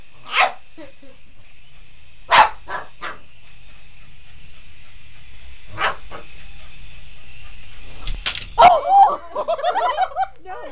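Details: Boston Terrier Otis goes after a remote control helicopter, letting out a few spaced, abrupt barks against the continuous buzzing hum of the toy aircraft, followed by a burst of human talk at the end.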